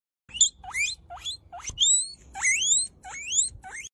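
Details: Guinea pig giving a string of about eight high, whistled squeaks, each sweeping sharply upward, repeated in quick succession with brief pauses, in a quiet setting.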